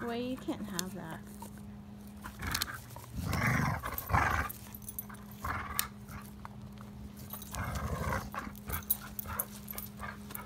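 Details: A male English Springer Spaniel growls in low, rumbling bursts while chewing on a stick during play, as a person scolds and then praises him.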